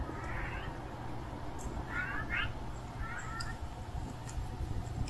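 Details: Hungry stray cat calling: three soft, rising meows spaced about a second apart, each sliding upward with a faint harmonic sheen, over a steady low rumble of background noise.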